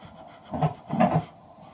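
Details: Pregnant Labrador Retriever Shaba panting during her final ultrasound, done to set the day of birth: two breathy, rasping pant bursts about half a second apart, heard indoors in a quiet room.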